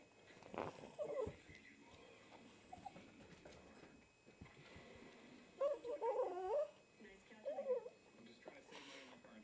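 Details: Pekingese dog indoors begging for food, giving high wavering whimpers in short bursts near the start, middle and later, squeaky and chipmunk-like, with a woman's voice telling it to get down.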